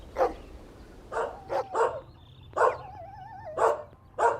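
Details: Puppies and their mother dog tussle over a toy outdoors. Short yappy barks come in irregular bursts, and a thin wavering whine runs between some of them.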